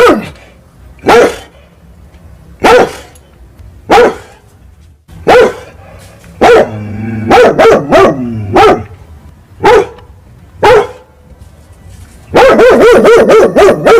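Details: Angry big dog barking at fighting cats at night, with irregularly spaced single barks, a few tight clusters in the middle, and a closing burst of rapid barks.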